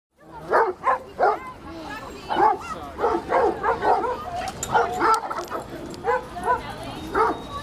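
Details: Several big and little dogs romping together in the dog run at Washington Square Park, New York City, barking and yipping in quick, overlapping bursts over steady park background noise.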